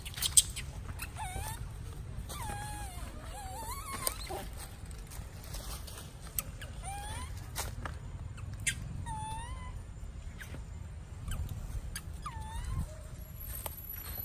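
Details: Weaned young monkey of Tima at Angkor crying as it runs about upstairs: a string of wavering, wailing cries, rising then falling, repeated every one to two seconds, with scattered sharp clicks and knocks in between.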